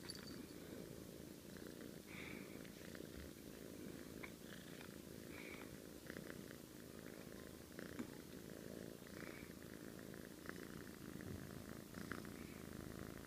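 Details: Sleeping domestic cat snores like an old man, a continuous low grumbling drone broken by soft raspy breaths that return about every second, steady throughout with no other sounds.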